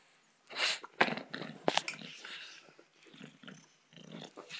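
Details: Indoors, the bulldog Botox, a female, plays with a soccer ball: loud snorting huffs and throaty growls come in quick irregular bursts, with sharp knocks of the ball between them and a quieter grumbling stretch near the end.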